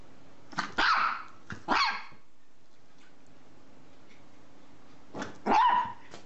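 A dog gives a few loud, harsh barks with short pauses between them.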